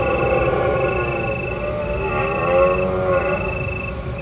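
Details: Deer calling at night in autumn in the hills of Provence, under a full moon, at a secret spot followed for a month of roaring. A drawn-out, wavering, harmonic moan holds for several seconds over a steady high chirping of crickets.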